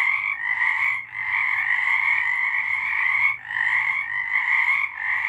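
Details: Night chorus of frogs recorded in March 2023, a thick continuous wall of rapid trilling croaks, two short lulls around the first and third seconds, otherwise steady and loud with no other sounds.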